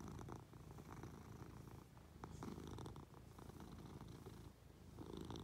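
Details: Affectionate Munchkin cat purring as it climbs onto its owner in bed; continuous low, buzzing rumble pulsing gently in strength, with faint rustling indoors.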